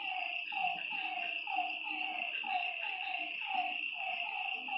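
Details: Nighttime lakeside frog chorus, many short curved croaks tumbling over one another roughly every second, backed by a constant shrill high-pitched hum of night creatures.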